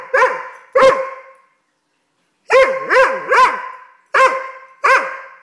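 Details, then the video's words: Tantrum from a Doberman puppy: sharp, bending yips in pairs and triplets, each with a downward-curving tail, separated by a short silent gap. "Doberman dog tantrum!"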